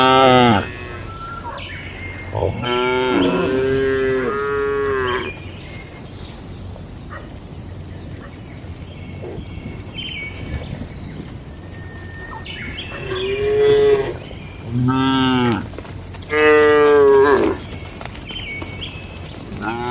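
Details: Cattle in a shed at night in a calm rural setting: two long harmonic moos early on, a quiet stretch with faint chirps, then three more moos in close succession near the end.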